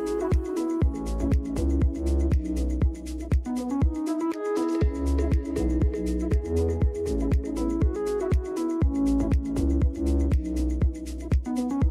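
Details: Electronic dance music with a steady thumping beat and synth melody throughout, no animal sounds.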